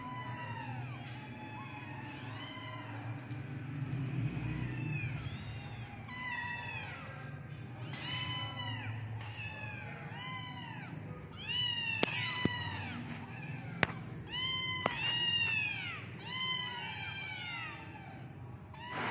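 Several kittens meow over and over in high, thin, arching cries that often overlap.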